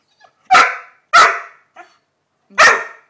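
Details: Lenny, an 11-month-old Labrador Retriever at play with a new ball, gives three loud, sharp barks, the first two close together and the third after a pause, with a faint softer huff between them.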